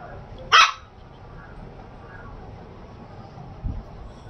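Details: A Shih Tzu puppy gives one sharp, high-pitched bark, followed by quiet.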